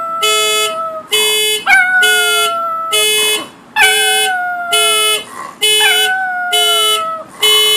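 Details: Pet dog howling in response to a car alarm, which it dislikes; long wavering howls glide slowly downward, overlapping the alarm's loud electronic tones that pulse on and off about once a second.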